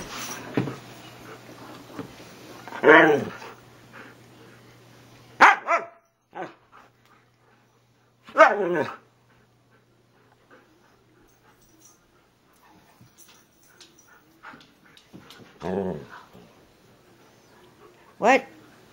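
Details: Siberian huskies 'talking' with their owner indoors: scattered short yowling and grumbling bursts among household noise and the owner's voice telling a dog to get off and asking what it wants.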